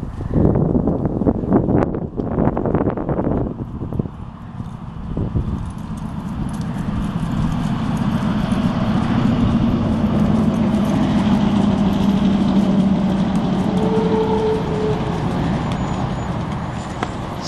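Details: Hoofbeats of a trotting mare, her trot called very smooth: quick, uneven clip-clop thuds, sharpest in the first few seconds, then blurring into a steady low rumble with a faint humming tone.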